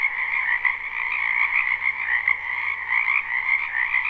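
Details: Massed croaking of frogs in a spring wetland, captured live: a thick, ringing chorus of trilled calls overlapping without pause, plus a low faint hum underneath.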